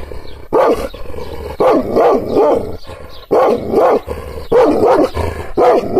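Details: Provoked Kangal dog giving angry, throaty barks in clustered bursts of two or three, each harsh and wavering, separated by short quiet gaps.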